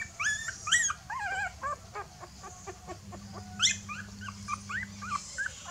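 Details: A puppy, afraid and calling its mother for help, gives a rapid series of short high yelps and whimpers, some upward-flicking, with a few louder squeals mixed in over a faint low hum.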